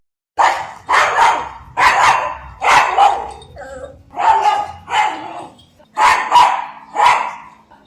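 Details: Pug barking in a rapid series of about nine sharp, mid-pitched barks, some doubled, spaced roughly a second apart, with faint music underneath.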